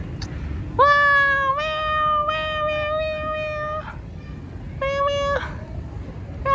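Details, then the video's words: Calico domestic cat meowing repeatedly: a long drawn-out meow of about three seconds with slight pitch steps, then a shorter meow after a pause, with faint low background rumble. "Cute Calico Meow Meow"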